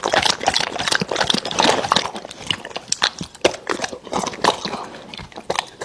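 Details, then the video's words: Raw meat being chewed by an American Bully: sharp crunching bites and moist smacking in irregular clusters, easing slightly toward the end. "Dog eating Raw Meats!Omnibus 【American Bully】"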